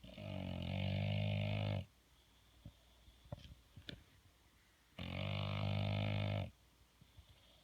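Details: Sleeping bulldog snoring loudly: two long, harsh, buzzy low rumbling snores of almost two seconds each, about three seconds apart, with faint small clicks and snuffles in the quiet gap between them.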